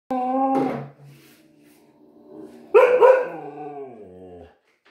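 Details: A husky that dislikes the vacuum cleaner gives two loud, harmonic, wailing cries. The first is short. The second lasts nearly two seconds and slides gently downward, ending in a low moan. The room is otherwise quiet.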